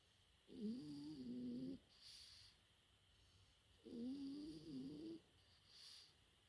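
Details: Four-month-old French Bulldog puppy sleeping and snoring indoors: two low, buzzy, wavering snores, each over a second long, about three seconds apart, with a faint hiss between them.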